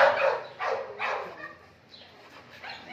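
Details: Three sharp barks from Oscar, a pedigree male British Labrador Retriever, the loudest at the start, then fading to quieter sounds while a man speaks to him in Hindi.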